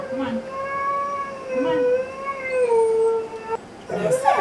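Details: A Siberian Husky howls while watching dog videos on a monitor, giving a long, steady howl that wavers gently and sinks slightly in pitch before breaking off.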